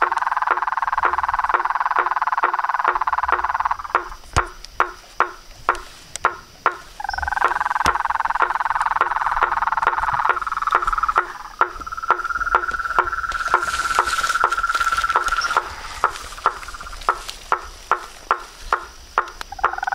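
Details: Nighttime pond chorus of frogs, toads and treefrogs by a house veranda: loud buzzing trills that stop and restart, separated by quieter stretches of sharp clicking notes, with a brief high hiss near fourteen seconds.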